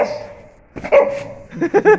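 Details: A Kangal puppy, a Sivas Kangal, tests itself with a bone. Quiet murmuring leads into a sharp bark, then three quick harmonic yaps near the end, with a man's voice nearby.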